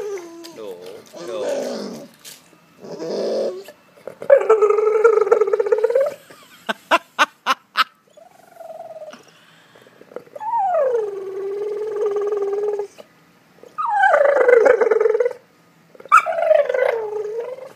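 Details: Golden Retriever whining because it wants its ball from a pool: long drawn nasal whines sliding down and levelling off, several bouts with pauses, a run of sharp clicks midway, and a person speaking nearby.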